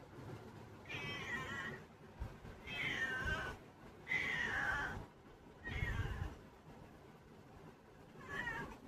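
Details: Pet cat meowing repeatedly, five drawn, slightly falling meows roughly every one and a half seconds, in a quiet indoor room.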